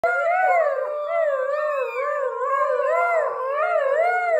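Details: Siberian Husky parents and their 6-week-old pups howling together, the adults teaching the pups; several overlapping, long, wavering tonal howls that rise and fall, with some voices sliding up and down at once.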